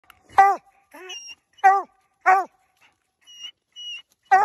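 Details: Sheppy, a female Treeing Walker Coonhound, gives loud, ringing barks with a bawling tone, spaced one to two seconds apart.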